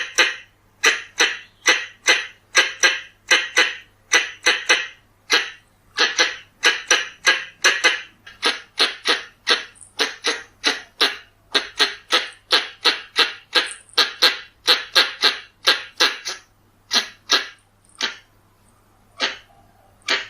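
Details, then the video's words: Pallas's squirrel lure call: a long, fast run of rasping chucks, about two or three a second, thinning to scattered notes near the end, with nothing else audible. "ສຽງກະຮອກທ້ອງແດງ ສຳຫຼັບຕໍ່ tiếng con sóc bựng đỏ เสียงกระรอกท้องแดง"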